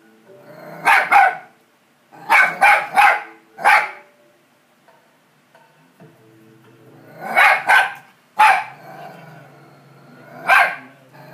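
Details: Barking at the TV, a dog fires off irregular clusters of sharp, loud barks, doubled and tripled, with gaps between, over continuous television audio with music.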